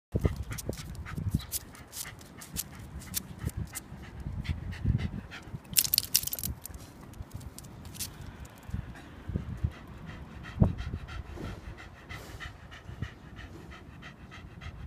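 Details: Shiba Inu on a walk on 8 July 2015, giving its usual sudden back-kick. Quick rhythmic panting mixes with scraping, footsteps and rustling, with a short burst of scuffing noise midway.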